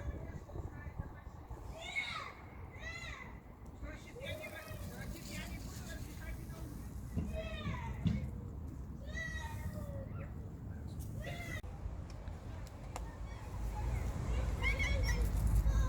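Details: Stray cats in a city, coming out as soon as they hear a call, give short, arching meows that rise then fall, repeated several times over the clip, against a steady low urban rumble.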